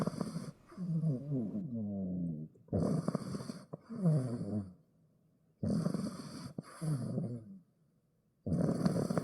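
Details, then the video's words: Sleeping pet dog snoring indoors, deep rumbling breaths with a raspy, gurgling texture, each snore lasting about two seconds and separated by short quiet gaps, four snoring bouts in a quiet room. "MY DOG SNORING"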